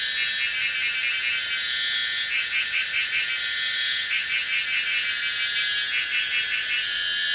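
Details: A Pomponia linearis cicada at Yangmingshan, Taiwan, gives a high, steady buzzing drone, broken every couple of seconds by bursts of throbbing pulses that swell and fade.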